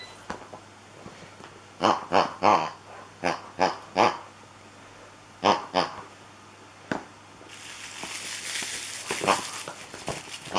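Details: Beagle puppy Yfke, about 8.5 weeks old, at playtime indoors: short bursts of sharp yips and little growls in quick clusters, then a stretch of rustling and scuffling noise toward the end.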